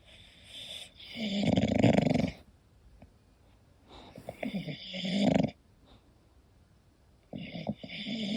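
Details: English Bulldog sleeping and snoring, rough rattling snores of about a second each with quiet breathing between, the last snore beginning as the sound ends.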